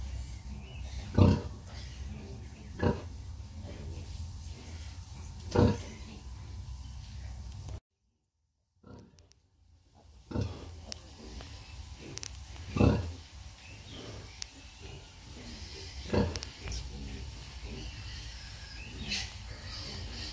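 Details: Sow nursing her piglets, giving low, short grunts spaced a second or two apart, with a brief dropout of silence midway and a steady low background hum.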